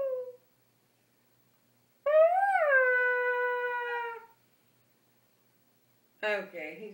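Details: Pet dog making a long moaning noise while being made to sit still; one sustained howl-like whine rising then holding steady for about two seconds, followed by a short rough yelp.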